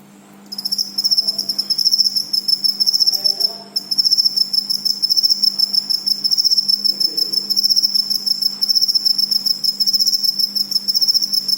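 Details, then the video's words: Cricket chirping in fast, steady pulsed trills, high and shrill, nearly continuous with a short pause near 3.7 seconds, over a faint low hum. "suara jangkrik"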